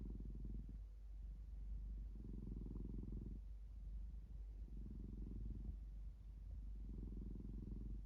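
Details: A domestic cat purring steadily and low, its rumble swelling and easing in long breathing phases, about four bouts across eight seconds against a quiet indoor background.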